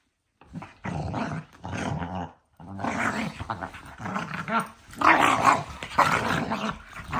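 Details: Two pet dogs play-fighting indoors before bedtime, biting each other: a run of rumbling, rasping growls in bursts of about a second, uneven, with short gaps and rising intensity toward the end.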